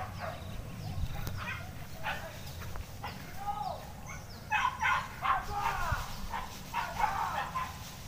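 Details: Pack of hunting dogs chasing a wild boar through scrub, out of sight behind the bushes; rapid bursts of high, arching yips and barks, growing louder and denser toward the end, over brush noise and quiet men's voices.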